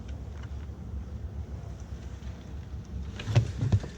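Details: Low rumbling wind or engine-like noise runs throughout, with a couple of dull knocks near the end and no clear animal sound.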